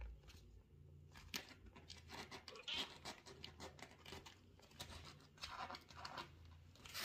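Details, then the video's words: Sociable mother cat indoors, talking to her kitten and owner: several short, strained meows scattered through the clip, mixed with rustling, clicks and a steady low room hum. "Общительная мама кошка мяукает и разговаривает с своим милым котёнком и хозяйкой"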